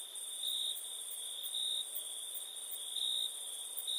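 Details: Cricket song at night, an unbroken high-pitched trill that brightens in short bursts every second or so, with a second, even higher pulsing insect band above it.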